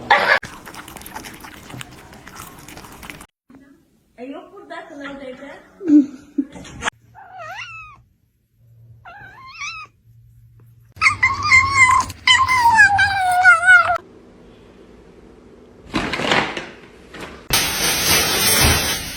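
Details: Domestic cats in a comedy compilation: a few short, bent meows, then a louder, drawn-out wavering yowl lasting several seconds, broken by abrupt cuts, with people talking nearby.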